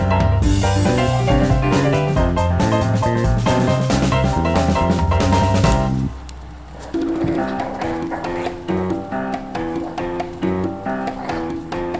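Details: Upbeat band music with drum kit, guitar and steady rhythm, dipping briefly near the middle before resuming; no animal sound stands out.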